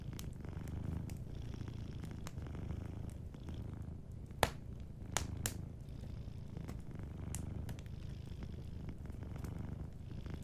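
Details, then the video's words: Soft, continuous purring from a sleeping cat by a cozy fireplace, a deep pulsing rumble that dominates, with a few scattered crackles and pops from the fire, two of them sharper around the middle. "Warm Fireplace Ambience with a Sleeping Cat 🐱💤Fireplace & Soft Purring"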